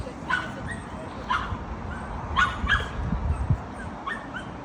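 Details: Kkamangi, a ten-year-old Miniature Pinscher, at a dog playground in Hanam, visited after her birthday: about five sharp, short barks spaced irregularly across the clip over a steady outdoor wind rumble.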